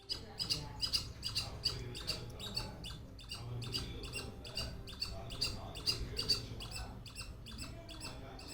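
A squirrel gives a fast, repeated series of sharp, chirping chatter notes, about two or three each second.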